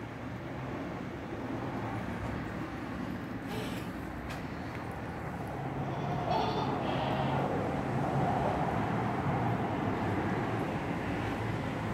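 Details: Steady vehicle or train rumble with faint speech, and no animal sound. A broad low roar fills the recording throughout.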